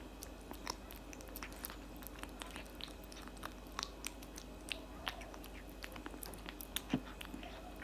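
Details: Indoor cat eating cat food, loud chewing heard as a steady stream of dry crunches and clicks roughly several per second, with a faint background hum.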